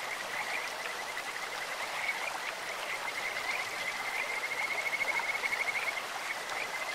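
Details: Kajika frogs in a clear stream: a few scattered high notes build into a fast, steady-pitched trill that grows louder toward the end, over the constant roar of flowing water.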